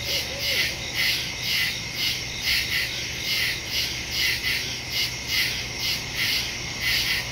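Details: Woodland crickets at night, phone and stereo microphone recording from September 2, 2023: overlapping high chirps pulse about twice a second in a continuous chorus, one brief lower whistle-like note near the start.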